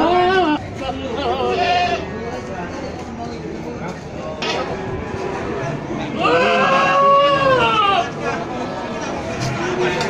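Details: Male goats offered for sale in Gunungkidul, Indonesia, in September 2020; a wavering, drawn-out bleat rises and falls for about two seconds amid constant human chatter, with shorter bleats heard earlier.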